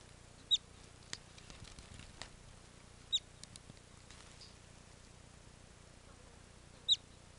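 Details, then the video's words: Whistles of a bobak marmot in the Yadrinsky District, Chuvash Republic, recorded from hiding in bushes: three brief piercing high notes spaced about three seconds apart, with faint rustling between. "Как свистит сурок-байбак"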